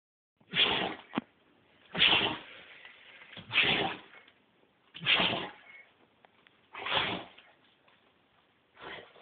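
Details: Doberman in a sneezing fit: six sharp, breathy, hissing bursts come roughly every one and a half seconds, each quickly fading, with quiet snuffling between them.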